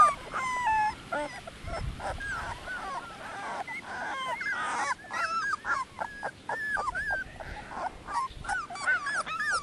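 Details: Several Dogo Canario pups at 18 days old crying together: a busy chorus of short rising-and-falling whines and squeals, some overlapping, continuing without pause.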